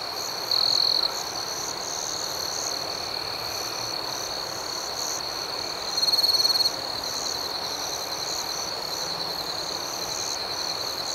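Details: [1, 'likely', 'chirping chorus', 'Crickets at night: a steady, high-pitched chorus of shimmering chirps, broken by two louder buzzy trills of about half a second each, near the start and midway.']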